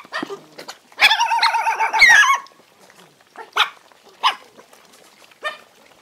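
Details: Several hungry dogs fight while eating food; a long, wavering high whine or yelp in the first half gives way to short, sharp barks spaced about a second apart.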